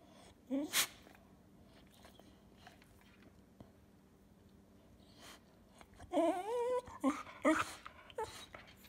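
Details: Cocker spaniel making 'talking' sounds at home: after a quiet stretch with a short snort, a wavering, whiny yowl with rising and falling pitch, followed by a few brief yips.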